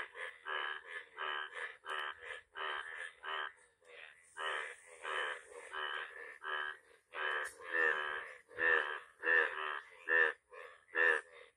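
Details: Yellow frog calling in a steady series of harsh, buzzy, pulsed croaks, each about half a second long, repeated roughly once a second and growing louder toward the end; a faint hiss sits in the background.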